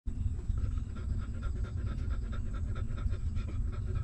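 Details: Hungry newborn puppy of a stray mother dog suckling milk: steady rapid wet sucking and panting-like pulses, several per second, low and dense throughout, with a faint high steady tone above.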